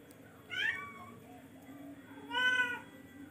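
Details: Two moderately loud meows from a charcoal F1 cat about two seconds apart, the first falling in pitch, the second steadier, against a noticeable low background hum.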